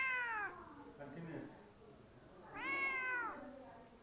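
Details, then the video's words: Cat perched on a fridge meowing twice: a falling meow at the very start, then after a pause a longer, clear, level-then-falling meow, in a quiet indoor room. "cat on fridge meow funny"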